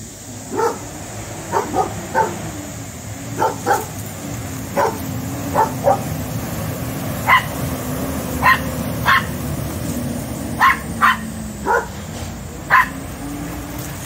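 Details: Rat terrier barking at a cat, short sharp barks and yips in irregular bursts, about fifteen over fourteen seconds, some in quick pairs, over a steady low hum.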